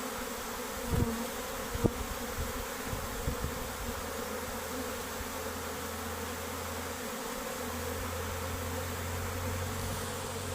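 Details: Worker honey bees deserting their beehive along with the queen; a constant massed buzzing drone, a couple of sharp taps early on, and a steady low mechanical hum joining in the second half.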